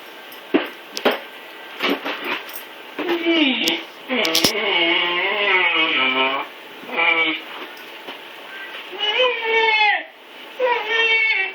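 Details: Blizzard, a male Siberian husky puppy, whines while struggling to climb stairs after being neutered; a run of drawn-out, wavering, harmonic whines rises and falls in long bends, with some taps and clatter early on, indoors.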